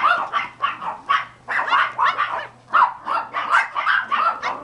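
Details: Several Pomeranian puppies of cream sable parentage yap continuously, sharp high-pitched barks following each other about twice a second, some slightly whiny, with no other sounds.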